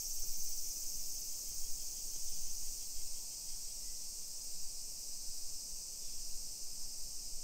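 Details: Japanese summer cicadas in a hillside residential area of Nisshin, about 20 km from downtown Nagoya, 28 July 2021 at 1 PM. A constant shrill hiss dominates, over quiet low scuffing steps and distant background hum.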